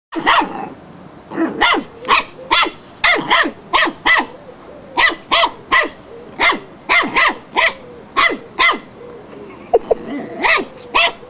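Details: Wire-haired fox terrier barking frantically at a flowerpot: sharp, loud barks in quick bursts, often paired or tripled, roughly twenty-five over eleven seconds with brief pauses, a faint whine near the end.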